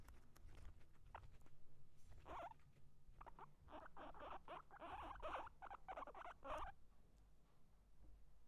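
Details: Guinea pig eating and fighting: dry, crunchy bursts of chewing and scuffling come in a rapid run of clusters from about two to nearly seven seconds, with quieter rustling and low background rumble around them.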